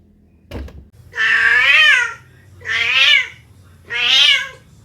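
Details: After a soft thump, a cat meows three times in a steady series roughly one second apart, each call long, nasal and arching down at the end, in a quiet room.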